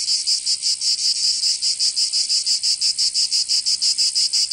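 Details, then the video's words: In the Provençal summer of southern France, cicadas drone in a shrill, grating buzz broken into sharp rhythmic throbs, roughly three or four pulses each second, steady and unbroken. "Canto Cigarra 🦗 [ Escuchar les cigarras en verano 10 H]"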